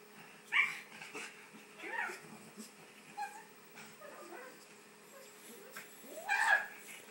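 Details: Male pug being house-sat, going absolutely crazy over a ball toy: scattered short high whines and sharp yips, a loud squealing yelp near the end, with faint bits of human voice between.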